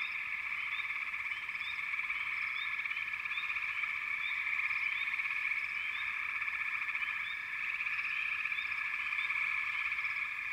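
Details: Long stretch of a frog chorus: a constant shrill trilling hum from many callers, with a scatter of short upswept chirps repeating through the whole recording.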